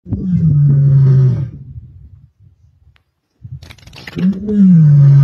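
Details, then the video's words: Lioness of the Msuthlu pride roaring in Sabi Sands on 23 May 2024: a deep, low moaning roar held about a second and a half, a quiet pause, then a second low groaning roar, with faint rustling between. "Msuthlu Lioness Roaring"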